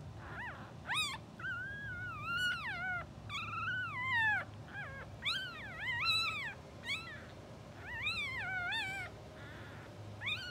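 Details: English Bulldog puppies only two hours old, a blue sable litter twitching in sleep, cry in a busy run of squeaky, wavering whines and yelps, about one every two seconds, rising and falling in pitch, over a faint low hum.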